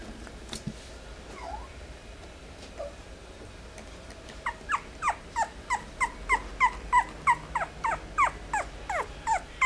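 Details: Long-haired Chihuahua, at first quiet with a few faint sounds, then a rapid run of high, sharp yipping whimpers, about three per second, steady and insistent until the end.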